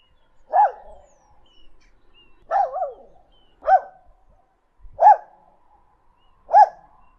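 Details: A dog barks five times, loud single yelps with one doubled bark, spaced about one and a half seconds apart against a quiet background.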